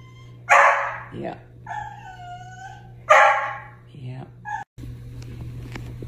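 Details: Upset pet dog complaining about the returned plants: two loud barks about two and a half seconds apart, with whiny, yodelling moans between them, and a steady low hum underneath.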